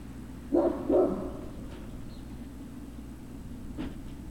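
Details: A Great Dane puppy gives a quick double bark, two clipped, rough notes half a second apart, then falls silent apart from a faint click and steady hum; recorded 03-06-2019.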